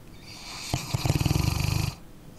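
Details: Sleeping dog snoring: a rough, low, rapidly pulsing rattle lasting just over a second, rising out of a faint airy background hiss and fading back into quiet breathing.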